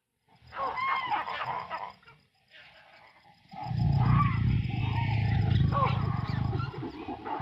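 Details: Wild lions in combat: a quiet stretch with faint higher calls, then from three seconds a deep, continuous rumbling growl of rapid low pulses that holds steady to the end.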